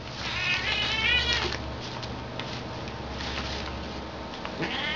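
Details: Domestic cats play-fighting indoors: short harmonic meows and yowls with wavering pitch in the first two seconds, then scuffling and rustling, a faint meow near the end over a steady background hum.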